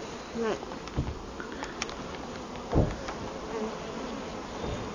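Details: Honey bees buzzing while brood comb is cut from a hive in a felled tree beside the Merrimack River in summer; even drone with brief voices and sharp thuds from the work.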